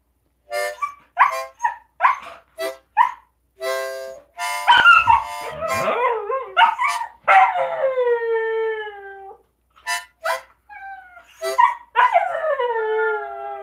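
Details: Siberian Huskies howl during a live stream, including a female puppy who is learning to howl from her older sisters. They give drawn-out, wavering howls sliding down in pitch, with yips and yodels, as a person urges them to sing.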